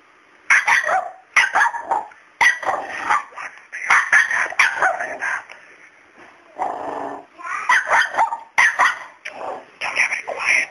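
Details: Pet dog barking at a cat in a home: a series of sharp, high yapping barks in bursts about a second apart, with a short pause midway and a person's voice faintly mixed in.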